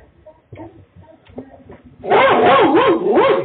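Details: Dog met during a half-hour neighbourhood walk in chilly wind, barking suddenly and loudly: a burst of rapid, wavering, harmonic barks after quiet footsteps and faint background sounds.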